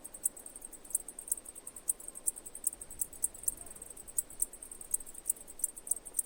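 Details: Cicadas singing in sharp, high-pitched pulses spaced irregularly at two to three per second over a soft, low background hiss.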